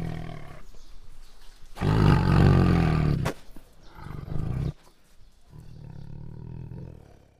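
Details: Bengal tiger during an attack, with a low rumble, then a powerful, throaty roar of about one and a half seconds, followed by shorter growls and a fading low rumble.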